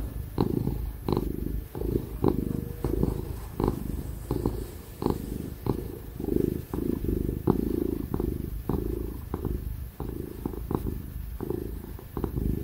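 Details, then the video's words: Tig, a happy ginger cat, purring loudly while being petted and cuddled: a steady low rumbling purr swelling and easing in roughly half-second breathing cycles, with soft clicking touches and a faint laptop fan hum behind. "Ginger cat purring ASMR | Real & loud purring ginger cat sound"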